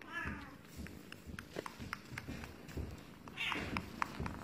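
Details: Russian Blue cat giving short meows, with a bright harmonic cry near the start and another higher one late in the clip, over soft tapping and low background murmur.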